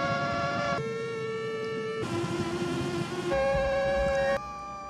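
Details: Male and female mosquitoes adjusting wing-beat pitch to match in a courtship duet, signalling they have found a potential mate; the female tends to choose the male that harmonises best. Buzzing tones shift abruptly between pitches in several blocks, rich in overtones.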